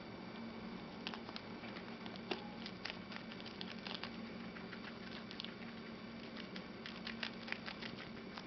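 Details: Two guinea pigs, Chocolate and Milk, munching a lettuce leaf, their favourite veggie: rapid crisp clicks and crunches, irregular and closely spaced, over a steady low hum.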